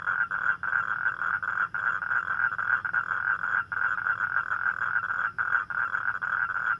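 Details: Toads calling together after dark make a continuous, grating, pulsed trill. Short gaps sound every second or so, and a thin, high tone hums faintly above.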